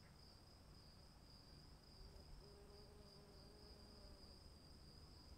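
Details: Rain-soaked night ambience of crickets, their high, even trill sustained without pause above a deep, noisy wash of falling rain and a faint, drawn-out lower tone.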